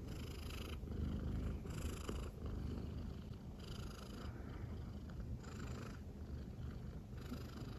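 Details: Silver tabby American Shorthair cat, a female, purring affectionately while lying on its owner's belly indoors; a steady low rumbling purr with in-and-out breathing cycles roughly every second and a half.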